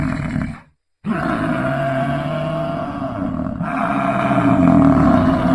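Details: Bellow of an American bison, a sustained low, harsh roaring drone rich in harmonics that grows slightly louder toward the end after one brief silence near the start.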